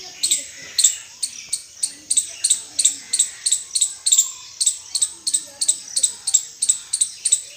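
An Indian palm squirrel gives sharp, high chirps in a steady run, about three each second.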